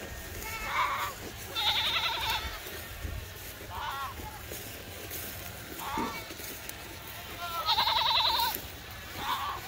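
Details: Goats in a farm herd running across an open field to reach fresh grazing pasture, giving repeated quavering bleats roughly every two seconds, some loud and high, others short and lower, over trampling and outdoor background noise.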